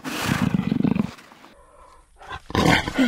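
A jaguar gives a deep, rasping run of rapid grunts for about a second, then a pause, then a rougher burst of sound.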